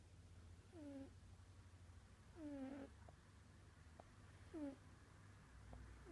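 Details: Sleeping cat snoring, each breath carrying a brief whistled note that falls in pitch, repeating roughly every two seconds against a constant low background hum.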